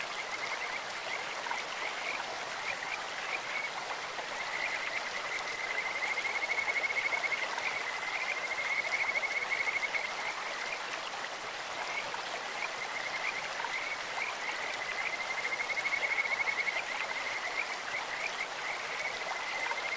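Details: Kajika frogs in a clear-flowing stream. Two or three drawn-out, high whistling trills rise and fall in loudness across the stretch, with steady babbling water throughout.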